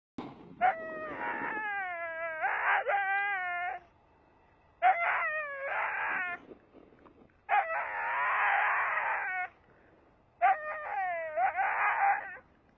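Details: A male Saluki on the lead screams with frustration while deer run ahead of him: loud, harmonic, wavering wails in four long bursts of one to two seconds, some rising and bending, with a person saying "no" nearby.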